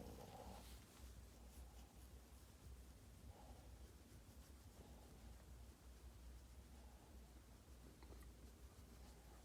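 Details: Yoda, a pampered pet Boston Terrier, snoring and grunting: soft, low rumbling breaths with brief grunts recurring every couple of seconds over a steady deep hum, quiet throughout.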